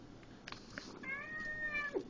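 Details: A domestic cat gives one drawn-out, steady meow of about a second, preceded by soft clicks and rustling.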